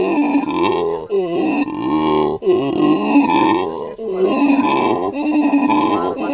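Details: Howler monkey male vocalising at a South African primate sanctuary, family group resting close by. Throaty, groaning roars come in connected surges with short breaks, gravelly and strongly harmonic.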